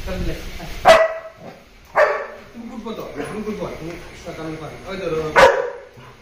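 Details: German Shepherd and Labrador reunited after ten days apart: sharp barks near the start, middle and end, with wavering harmonic whines between them, over background music.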